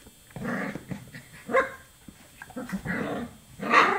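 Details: Chocolate Labrador Retriever puppies, 24 days old, giving four short harmonic whining yelps, each rising and falling, spaced about a second apart with quiet gaps between.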